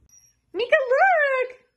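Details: Siberian Husky vocalizing indoors: a single short wavering howl-like yowl lasting about one second, rising and falling, after brief household sounds.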